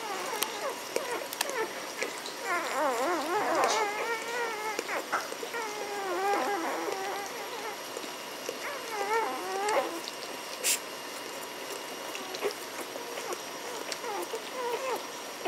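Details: A litter of Magyar Vizsla puppies (B litter, Elsterhaus kennel) recorded on 14 May 2015. Several pups whimper and whine together, with overlapping quavering, warbling cries clustered in bursts and shorter squeaky yelps between them.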